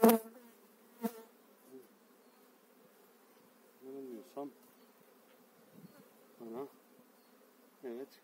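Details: Spring 2018 hive transfer of honey bees, eight frames shifted into the keeper's own hive; a low steady hum under passing bees whose buzz bends up and down as they fly past, with a loud knock at the start and scattered clicks.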